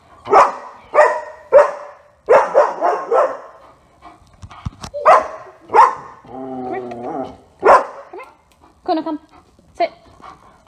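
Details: German Shepherd Otto barking in bursts of two and three during training, with a human voice speaking in the middle and further scattered barks toward the end.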